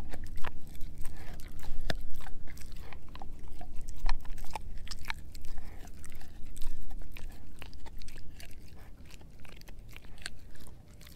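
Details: Edu, a German Shepherd mix, gnaws a dehydrated pig ear dog chew indoors: loud, irregular crunching with sharp cracking bites several times per second, between softer wet mouthing sounds and a low steady room hum.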